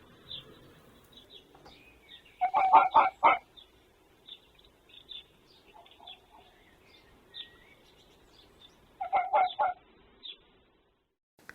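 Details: Male red fox calling, answered by another fox, filmed 26 February 2024 and believed to be territorial. Two separate bursts of rapid, hoarse barks, each of about four to five notes, come several seconds apart. Faint high bird chirps sound throughout.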